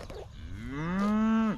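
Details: Highland cattle in a herd eager for fresh grass after a spell of hay feeding, a young calf nearby: one drawn-out moo that rises and then holds level for about a second and a half before dropping off sharply.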